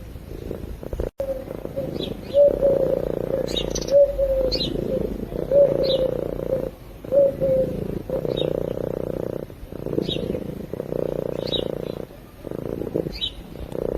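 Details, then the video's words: Sleeping domestic cat purring, recorded close to a microphone: a steady low rumbling purr in long pulses broken by short breathing pauses, with faint bird chirps and whistled notes in the background. "Cat Purring While Sleeping"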